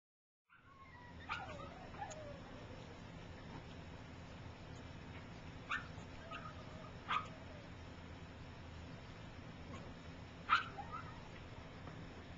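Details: Gypsy's three-week-old puppies learning to walk, some still sleeping; a few short, high squeaky whimpers spaced several seconds apart over a steady low background hum.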